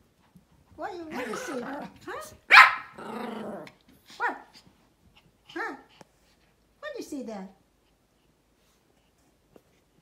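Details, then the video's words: Pomeranian barking outdoors at another, larger dog: harsh, high, rapid barks mixed with growling for about six seconds, then quiet. A woman speaks German over it, telling the dog to stop barking. "pomeranian dog's barking Sounds | dog Barks outdoor"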